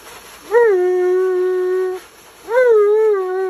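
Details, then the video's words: Bath-time protest from Tonka the Alaskan Malamute: two sustained, mournful howls, each swooping up at the start then holding a steady, slightly wavering tone, with a short gap between them. "Mad Malamute Speaks English While Complaining During His Bath"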